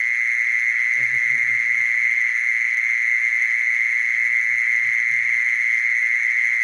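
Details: Mole cricket giving a steady, unbroken churring trill at one pitch that never pauses, with rich overtones above it; a few soft low thumps sound near the first and fifth seconds.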